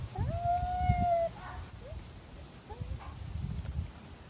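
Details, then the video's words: Siberian husky howling back at a neighbour dog barking down the street in Madison, Wisconsin: one clear sustained tonal howl with rich overtones lasting about a second, followed by short faint yips and low background rumble. "Husky howls to neighbor dog down the street"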